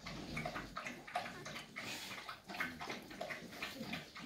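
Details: Five-week-old Staffordshire Bull Terrier puppies of the 54th litter with their mother Rubis, filmed 2 December 2023; brief high squeaks and whimpers recur every half second to second over soft wet, lapping-like noises.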